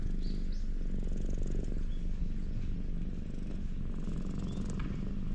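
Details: Contented purring from a ginger tabby community cat being stroked in the parking lot of a cat shrine, captured with a GoPro HERO8: rapid, even low pulses run throughout, with a few faint chirps from outdoors.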